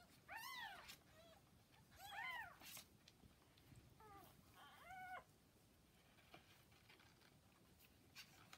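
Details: About forty hours after birth, kittens with their mother Hana let out a handful of sharp, high mews, rising and falling, in quick clusters, then the sound fades into quiet background shuffling. Filmed May 8.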